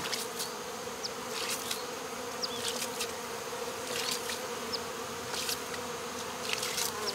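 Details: Swarm of honey bees being removed from local baseball fields, queen already boxed; steady droning hum with layered overtones, dense and continuous, broken by sharp clicks and faint high chirps overhead.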